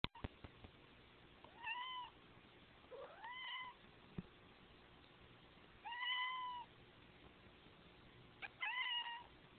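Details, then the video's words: A male Siamese cat gives four drawn-out, nasal meows, each rising then falling, spaced a couple of seconds apart. "Bailey my siamese cat"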